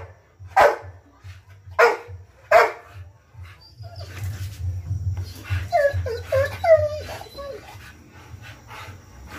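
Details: A 14-month-old Rottweiler gives three deep, loud barks about a second apart, followed by a person talking.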